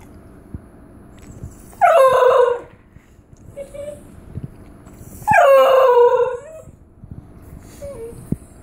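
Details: Basenji-Whippet mix female dog yodelling for a treat by the treat jar indoors: two long warbling harmonic howls around two seconds each, rising then wavering and falling, separated by soft short whines.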